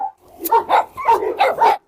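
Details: A farm dog, surrounded by several other dogs and hushed by its owner; five short, sharp barks in a quick run roughly every quarter second, close and loud, ending abruptly.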